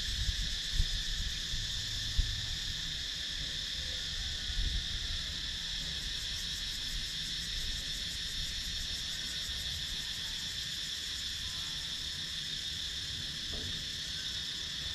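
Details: Cicadas in wooded countryside of Sakon Nakhon, Thailand, recorded on a GoPro Hero 9: a dense, steady, shrill drone in several high bands, finely pulsed at the top, with soft low rumbles and a few faint knocks.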